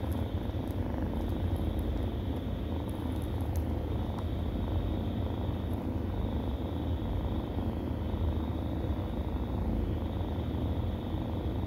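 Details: Kittens purring steadily while nursing, a continuous low rumble with no breaks across the whole stretch, faint high clicks scattered above and no other voices.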